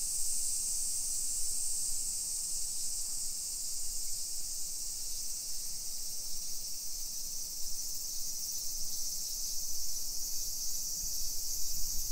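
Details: A dense, even hiss of cicadas in July summer heat, 1 PM on 28 July 2021, in a residential area of Nisshin near Nagoya, Japan. The bright drone holds steady for the whole stretch over faint low traffic hum.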